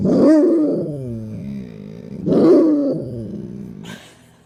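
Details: Dog that seldom barks giving unusual exclamations: a long, wavering, groaning whine, then a shorter rising-falling moan about two seconds later, followed by a brief noisy burst.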